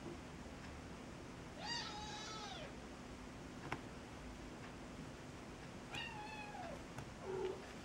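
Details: Cat with a kitten it has befriended: two drawn-out meows with rich harmonics, one near two seconds and another near six seconds, plus a short higher squeak near the end, over a low steady hum indoors.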